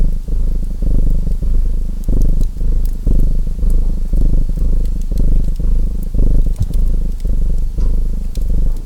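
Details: Deep rhythmic purring from a domestic cat, breath-by-breath swells coming about twice a second with small pauses between, over the steady crackle and snap of a fireplace fire.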